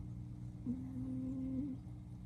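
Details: Sleeping female Somali cat with a blue coat, spayed, snoring indoors, recorded on an iPhone 12 Pro Max: one low, steady droning snore of about a second over a constant low room hum.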